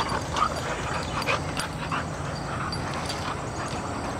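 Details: American Bulldogs Kandi and her puppy daughter Montigo, who lives in Parker, Colorado, wrestling during a summer holiday-weekend visit; a steady rough, breathy scuffle with faint short yips and whimpers over a continuous noisy background.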